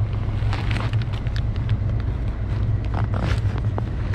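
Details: Low engine rumble of a passing vehicle mixed with wind buffeting the microphone, and no animal call.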